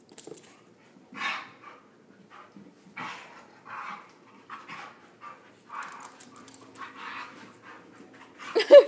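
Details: Husky pup wrestling playfully with another dog, the two biting at each other's legs: short breathy huffs and growly bursts come every second or so, separated by quiet gaps, with a person's voice nearby.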